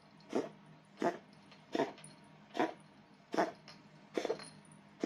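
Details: Pet Bengal cat with a cold coughing indoors: a run of seven short, harsh, hacking coughs, each clipped and breathy, repeating about every 0.7 seconds against a quiet room hum.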